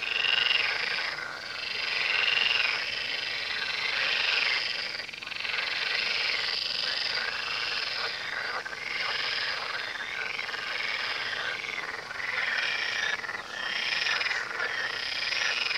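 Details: Many frogs croaking together along the Tywa river, a thick rasping chorus with quick repeated pulses and brief louder swells, running unbroken for the whole stretch.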